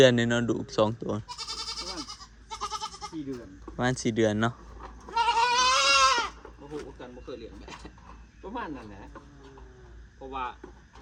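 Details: Newly purchased goats, four more added to the herd; one loud, tremulous bleat of about a second stands out midway, surrounded by men chatting and brief shorter bleats.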